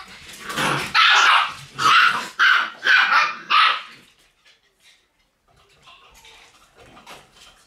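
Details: Shiba Inu puppies in their puppy room on October 6; five sharp, high yapping barks come in quick succession over about three seconds, then the room falls nearly quiet with faint rustling.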